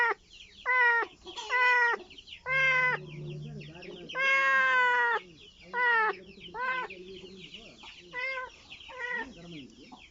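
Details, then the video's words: A kitten looking for its mother gives loud, uneven meows, some short and some long and wavering, spaced irregularly, with a low steady hum briefly underneath and faint background noise. "A kitten that makes noise in search of its mother"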